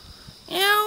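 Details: Cute wild cat near Jeonju, North Jeolla Province, Korea, giving a single clear meow that starts after a quiet moment, rising then levelling off, tonal and rich in overtones.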